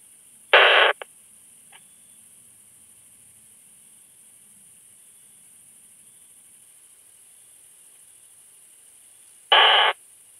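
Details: Pieninsky's plump bush-cricket, Isophya pienensis, at Hainburg, Austria, on 30 July 2021, picked up through a Pettersson D 100 ultrasound detector. Two brief buzzy bursts about nine seconds apart, each a quarter second long, against a steady high-pitched electronic hiss.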